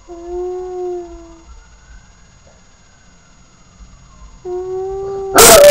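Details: Puppy named Sirius howling: two sustained, steady mid-pitched howls rich in harmonics, the first lasting about a second and a half, the second shorter after a quiet pause, then a sudden loud harsh crackling burst at the end.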